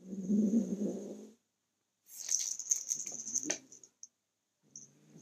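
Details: Kitten growling while guarding his toy as a person tries to take it; a low, rough rumbling growl for over a second, then a pause followed by rattling, clinking toy sounds and a short return of growling at the end.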